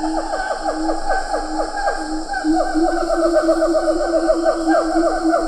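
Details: Rapid, regular chain of sharply falling hoots from a siamang at medium-close range in Ketambe Forest, some lar gibbons in the background, steady high-pitched insect buzz underneath.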